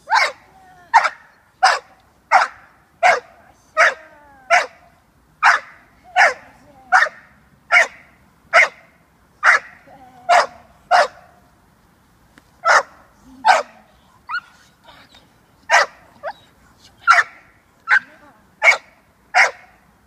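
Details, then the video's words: Female American Staffordshire Terrier puppy, six months old, in protection work with her handler, giving a long run of sharp, yelping barks at a steady pace, over twenty in total, with a brief pause midway. "American staffordshire terrier - puppy protection work"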